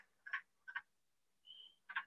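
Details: Wood frogs at a vernal pool in Maine in spring, a subtle call that does not carry far. Soft, short clucking notes, four within two seconds, with a faint steady whistled tone between them, in a quiet setting.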